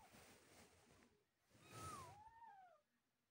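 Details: Newborn kittens around the time their eyes first open give a clear, drawn-out mew that falls steeply in pitch, followed at once by a second lower, sliding cry, over faint background rustling.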